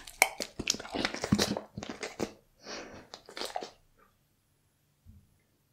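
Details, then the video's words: Close indoor ASMR recording of a Bull Terrier working through a cut of raw beef: loud crisp crunches and moist mastication in uneven clusters for nearly four seconds, fading to a faint smack before silence. "ASMR Bull Terrier Reviews Raw Beef Cuts"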